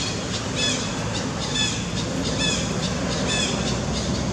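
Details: Baby monkey crying loudly after being slapped by the dominant king monkey: arched, wavering high cries repeat roughly once a second over a steady broadband rumble and hiss.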